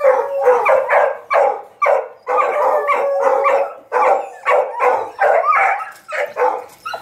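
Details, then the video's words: Hunting dogs chasing paca in training give bursts of hoarse baying barks about twice a second, with a few brief howled notes between them. "CAÇADA DE PACA, 🐕 Ensinando os cachorros A arte de caçar paca"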